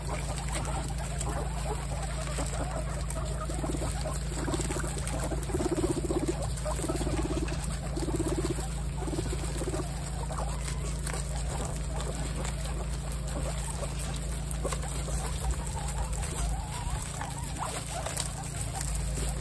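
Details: Guinea pigs from a household group of 28 give a run of low, buzzy pulses, one about every 0.8 seconds, over rustling bedding and a steady background hum.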